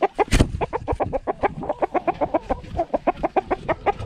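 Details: Rapid, steady grunting from Bacon May, a two-year-old female Pixie Pig fitted with a GoPro. Short pulsed grunts come several times a second in an even, chugging rhythm, with a brief rustle early on.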